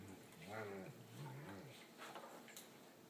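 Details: Two Great Danes, one five years old and one five months old, playing friendly on a couch indoors; low, harmonic grumbling vocalisations rise and fall over about a second, followed by soft rustling and movement noises.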